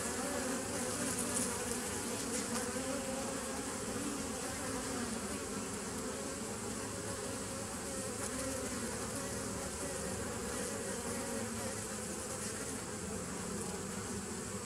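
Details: Bees, recorded 27 September 2018. A steady collective hum with low droning bands and slight rapid flutter runs unbroken, slightly louder at the start, under a faint hiss.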